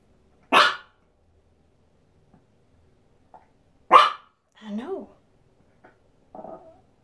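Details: Excited female Chihuahua indoors near box turtles kept in a shower during cold weather barks twice, about three seconds apart, each short and harsh, followed by a brief rising-falling whine and faint soft noises.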